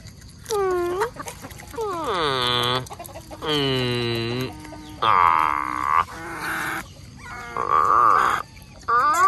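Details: Otters at mealtime in mangroves, fed mullets: a series of loud, whining squeals, some rising and others falling, each lasting about a second with short gaps between them.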